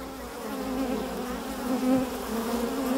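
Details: A close Carniolan honey bee, the Kranjska sivka, buzzing while foraging: a strong steady droning tone rising briefly in loudness near the middle, over a softer background hum of other bees.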